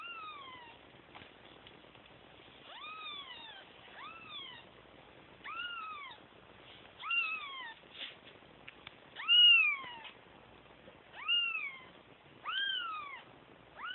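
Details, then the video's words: Kittens crying for their mother: a run of high, clear meows that arch up and then slide down, one every second or two, some louder and sharper, over a quiet background. "Kittens crying for mama"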